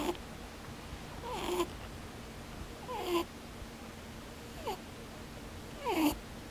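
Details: Sleeping rabbit, eyes left open, snoring with 'poo-poo, boo-boo' noises: four brief whiny, downward-sliding squeaks with airy hiss, spaced about one and a half seconds apart, against a quiet indoor background.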